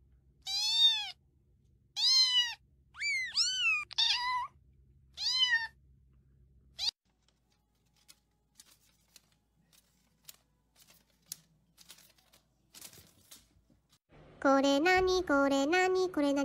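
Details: Cat among funny compilation kittens meowing: a quick series of short, high mews in the first six seconds, then near silence with scattered clicks, ending in a lower, harsher, drawn-out cry.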